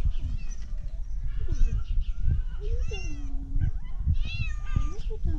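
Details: Tabby cat meowing in a way likened to a duck: a few drawn-out, nasal, harmonic meows, one long and level and another short and rising, with a person talking throughout.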